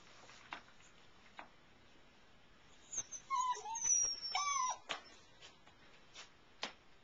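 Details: Cece and Tucker's Airedale Terrier puppies in a whelping box during the night, brought indoors to sleep. After quiet scattered taps, several high, bending whines overlap in a burst lasting about two seconds, followed by sparse clicks.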